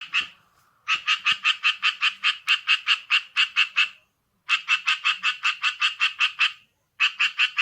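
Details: Tree frog, small-bodied but very loud, giving rapid pulsed calls rendered as 'kue-kwe-kwe-kwe': fast series of harsh, bright notes about six per second, in bursts of several seconds separated by short pauses, with a quiet background.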